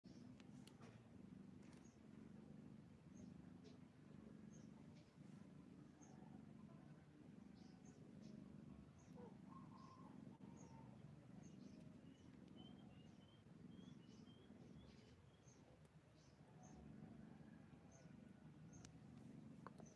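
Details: Kittens suckle their mother's milk while a soft, low rumbling purr pulses steadily underneath, with faint high ticks scattered above.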